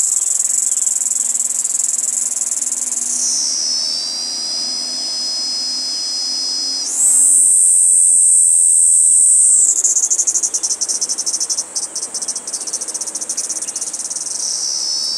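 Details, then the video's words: A Kaempfer cicada perched on a cherry tree gives a steady, shrill, high buzz that shifts in pitch and breaks into a rapid pulsing trill. "ニイニイゼミの泣き声"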